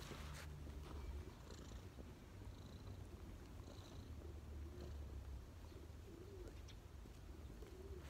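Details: Cat resting on its owner's knees gives a soft, continuous low purr, while pigeons coo faintly in the background.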